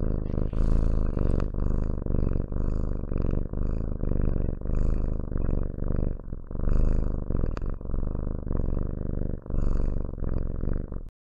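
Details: Loud, close purring from a house cat, deep vibrating rumble pulsing with breathing roughly every second, ending abruptly at eleven seconds.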